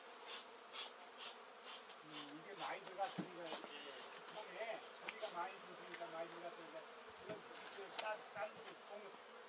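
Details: Honey bees at a beginner beekeeper's hives give a continuous low buzzing drone with a wavering tone. Irregular soft knocks and rustles come through the hum.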